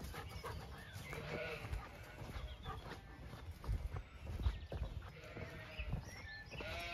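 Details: On a farm in County Kilkenny, Ireland, a mare whinnies as the horses are called and gallop to a fresh field, a wavering neigh falling in pitch over heavy low rumbling from wind and hoofbeats.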